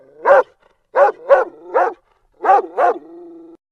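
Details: A dog barks in a kids' animal-sounds lesson: six sharp barks in uneven pairs over about three seconds, with short pauses between groups, ending in a brief low whine.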